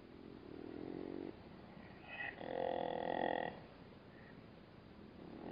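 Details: Growling black-backed jackal, bothered by a bat-eared fox calmly drinking at a Namib desert waterhole; a low drawn-out growl, then a louder sustained harmonic snarl lasting over a second, followed by quieter grumbles.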